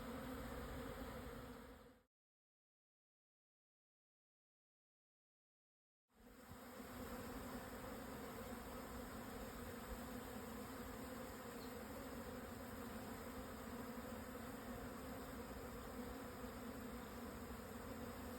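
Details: Many Japanese honey bees swarming at midday, 17 June 2024, Yatsugatake southern foothills, Hokuto, Yamanashi, 1054 m; thick constant buzzing drone, cut by a silent gap of about four seconds before the hum resumes just as dense.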